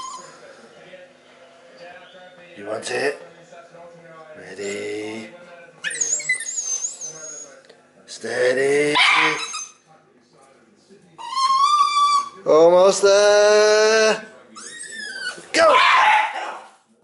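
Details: A Border Terrier, a female, cries and barks while playing a game for her rope; harsh barks and a high wavering whine alternate in bursts, with stretches of near quiet between them.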